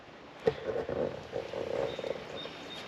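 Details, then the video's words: On a spring hike, chorus frogs give a low, rapid pulsed croaking for about two seconds, with a faint thin high note near the end. "Chorus Frog calls"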